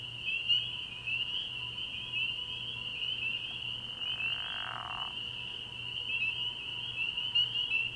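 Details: Early-spring night at a frog pond: a massed chorus of spring peepers produces a continuous shrill ringing. A few louder peeps stand out, and a brief softer rushing sound passes midway.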